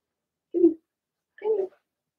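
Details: Blenheim Cavalier King Charles Spaniel puppies from Remy's first litter of six, two females and four males, indoors in a home puppy pen. Two short, low, grunting whimpers about a second apart break an otherwise quiet room.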